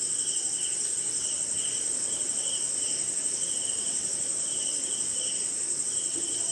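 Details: On a wet night somewhere in India, crickets keep up a ceaseless shrill ringing above a steady pulse of mid-pitched chirps, while rain hisses softly and other insects join faintly in the background.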